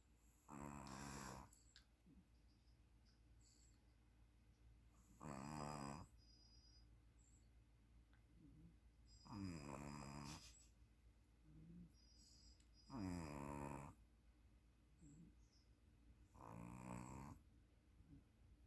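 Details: Puppy asleep and snoring, five rough buzzing snores roughly every four seconds, each carrying stacked harmonics, with soft gasping inhales heard faintly in the gaps.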